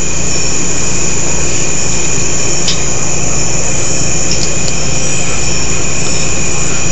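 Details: Loud, distorted roaring noise fills the recording like an engine or rushing air, with no animal voice.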